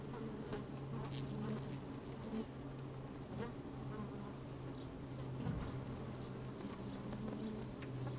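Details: Busy honey bees moving about inside an open hive on a sunny day with some wind, captured by a microphone lowered into the hive; constant deep buzzing drone, faint higher overtones, and occasional clicks and brushing sounds.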